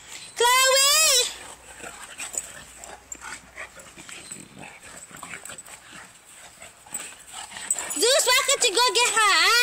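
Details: Neapolitan Mastiffs at play: a wavering, high-pitched whine at the start and a longer, warbling whine-yelp near the end, with a person speaking and handling noise in between.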